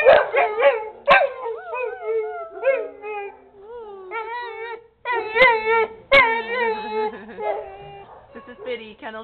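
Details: A brown male American Pit Bull Terrier in a shelter kennel, "singing and talking" with bending, yodel-like howls that rise and fall, mixed with short whines and yelps, over a few sharp clanks and quiet human speech.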